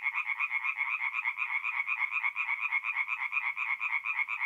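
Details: Tree frogs calling together after dark at a forest pond in north-east Italy in mid April, a loud throbbing chorus of harsh, evenly repeated croaks around two per second, with nothing else audible.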